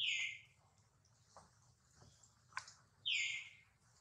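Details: Hurt baby monkey Duke, with mother Duchess nearby, gives two loud, piercing squeals that fall in pitch, one at the start and one near the end, with faint taps and a steady low hum between them.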